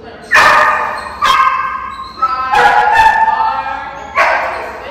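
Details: Sharp, harmonic barks from an 8-month-old female German Shepherd and Belgian Malinois cross named Zara, a high-drive puppy training at OLK9 Charlottesville: four abrupt loud bursts roughly a second apart, mixed with people talking.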